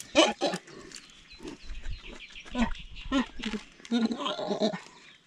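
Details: Spectacled or Andean bears squeal as they squabble over treats. Sharp, loud squeals open the clip, followed by scattered nasal, bleating squeals and a rough, drawn-out final burst, all in irregular bouts.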